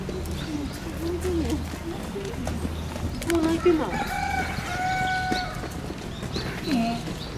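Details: Giant panda at Oji Zoo, 19 January 2021, excited by falling snow, standing up and scratching, calling for a while: a few short tonal bleating calls with stacked overtones midway, over steady low rumble and background murmur.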